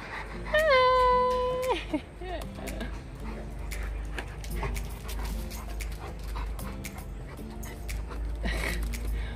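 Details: An XL American Bully male, one of three brothers and father out walking on leash, gives a high drawn-out whine that holds level then slides downward, followed by soft breathy panting and background voices.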